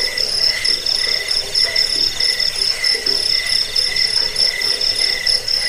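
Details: Shrill cricket chirping meant to scare off rats, help with sleep and serve as a model for training cage birds; unbroken, high-pitched pulsed trills stacked in several tones, with a steady rhythmic beat.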